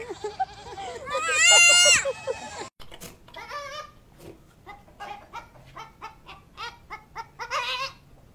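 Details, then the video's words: Loud goat giving one long, high, quavering bleat, followed by a person talking in short phrases and softer background sounds. "Loud Goats"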